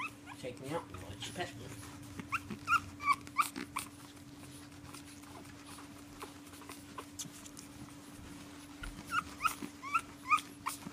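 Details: Indoors at bedtime, the pug Prince Harry protests being put to bed with short, high whimpers that come in two clustered bursts. A person talks to the dog in the quieter stretch between them, over a faint steady hum.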